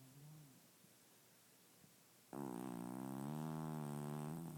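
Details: Murphy, a male pet cat, snoring loudly while asleep indoors in the dark; after about two seconds of quiet breathing, one long, droning, buzzy snore sets in and holds steady to the end.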